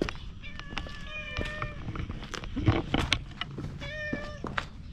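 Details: Stray cat outdoors among community cats, a few steady flat meows with layered harmonics, separated by rustling, thumps and low background rumble.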